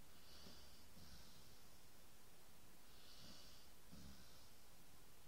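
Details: Sleeping dog snoring softly indoors: raspy, hissy breaths come in pairs, the two-breath cycle recurring about every three seconds, with a low rumbling undertone and a quiet room.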